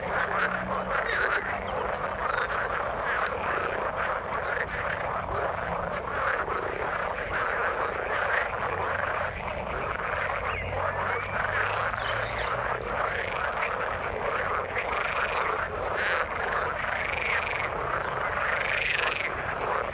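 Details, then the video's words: Frog chorus in the water, continuous pulsing croaks with looping, wavering calls standing out in the later part, plus a low droning hum underneath at times. "Frog sound in the water"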